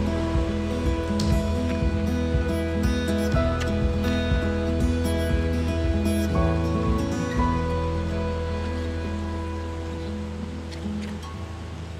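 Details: Layered instrumental music with sustained tones and a steady pulse plays throughout, with a faint wash like surf underneath and no animal voice.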